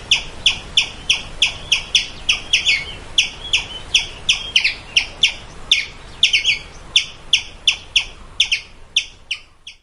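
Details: Squirrel calling with a steady series of sharp, high-pitched chirps, about three per second, each a short bright note with ringing overtones, kept up evenly for about ten seconds over a faint background hiss.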